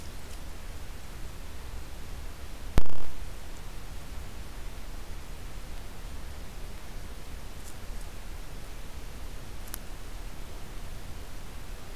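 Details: Only a steady background hiss, broken by a single sharp click near the three-second mark.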